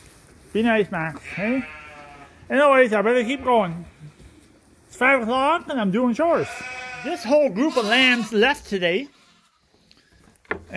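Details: Several sheep and lambs at Ewetopia Farms awaiting feed during lambing season, calling in a busy chorus of short, wavering bleats that overlap and tumble one after another, some rising then falling, with a brief quiet gap near the end.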